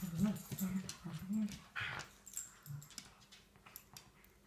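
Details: Shetland Sheepdogs at rough play on a deck on a Sunday morning: three low, moaning growl-whines in the first second and a half, then scrabbling, a brief rasp and a last short grumble.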